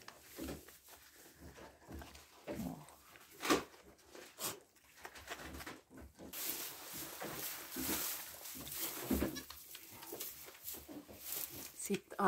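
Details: Goat mother Viola tending her newborn kid on a farm in Pori, Finland, as it starts trying to stand; short low bleats and murmurs amid rustling straw and shuffling movement, with brief broadband bursts of noise.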